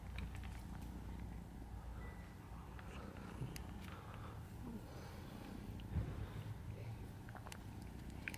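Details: Domestic kitten together with its father cat: a steady, low, continuous purring rumble runs through the whole stretch, with scattered faint clicks and soft rustles on top.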